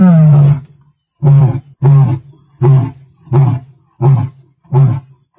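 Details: A male lion, the Oloimina Black Rock male, roars in the Masai Mara on 29 March 2024: one long, deep moan followed by a run of short, grunting roars.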